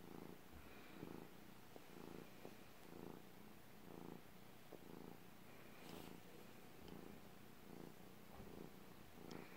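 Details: Domestic cat purring steadily, a low rumbling purr swelling and fading in regular breathing cycles roughly once per second, in a quiet indoor setting.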